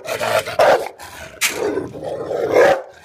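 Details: A male Rottweiler in Rawalpindi gives deep, harsh barks and rough growling bursts in an aggressive outburst, guarding and protecting its owner.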